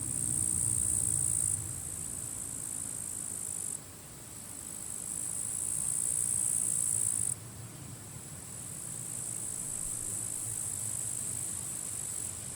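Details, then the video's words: Grasshoppers fighting among completely withered grass at the forest edge, end of July, strong wind blowing; a piercing high buzzing chorus cuts out and restarts several times in sharp steps, backed by deep wind rumble. "Wind noise and grasshoppers crackling"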